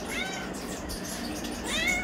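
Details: Areesha, a pet cat, meows to demand chicken: a drawn-out meow opens the moment, then a second, higher, rising meow comes near the end over a low indoor hum.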